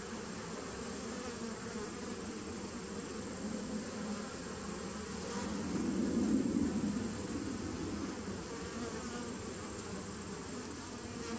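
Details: Honey bees in a nuc colony started in 2017, recorded 19 September 2018: a steady low droning hum that swells louder around the middle before settling back, with a faint constant high whine throughout.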